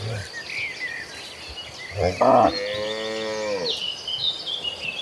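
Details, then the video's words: Tame cattle from a herd of dozens walking toward a green pasture; one harmonic moo that sinks slightly in pitch and trails off after a short bright bleat, over faint background rustle and a few thin high chirps. "Dozens of tame cattle walking toward a green pasture, the sounds of tame cattle."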